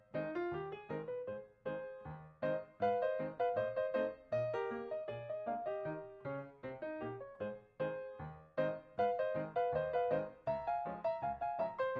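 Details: Light, bouncy keyboard music with quick repeated notes fills the whole stretch, and no animal is heard.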